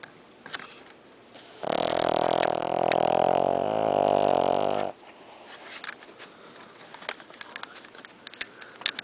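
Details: Loud snoring from Stinky, a sleeping Shih Tzu with a snoring problem: a harsh, rapidly pulsing drone lasting about three seconds, framed by quiet room noise and faint clicks before and after.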